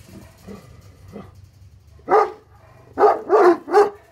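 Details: Faint low woofs open, then a pair of Tornjak guardian dogs, Hattori Hanzo and Leksi, break into loud harsh barks at an intruder, one bark followed by a quick run of three.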